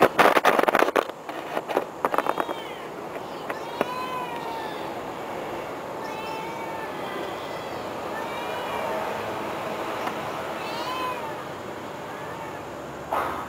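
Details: Cat family, with several soft, arching meows repeated every one to two seconds over a steady background hum, preceded by clattering knocks in the opening seconds.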